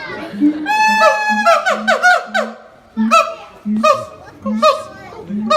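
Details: Siamang parents in a high-and-low harmony, their voices said to carry 4 km, the silent youngster clinging to its mother; sharp bark-like cries rise and fall in quick runs above a pulsing low hooting.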